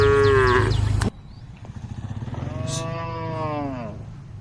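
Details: A cow grazing in a field calls out as the mother cow goes berserk: a loud moo cut off abruptly, then a longer, falling, wavering moo, with a pulsing low hum underneath.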